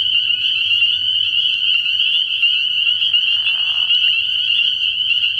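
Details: Many spring peepers chorusing in a frog pond on an early-year night, their piercing high peeps fused into one constant shrill wall of sound; a brief lower rasping note surfaces midway through the clip.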